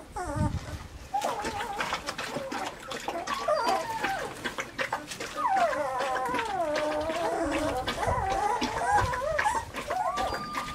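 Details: Weimaraner puppies Bailey, Hailey and Jenny, filmed in summer: overlapping high whines and soft howls that waver up and down in pitch, several voices crossing, with scattered clicks and knocks.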